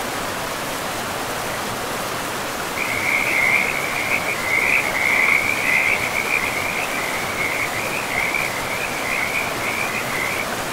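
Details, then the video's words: Frog calling beside a forest river, a high, rapid pulsed trill that starts abruptly after a few seconds and runs on unbroken to the end, rising above a continuous roar of running water. "River and Frogs sleep sounds"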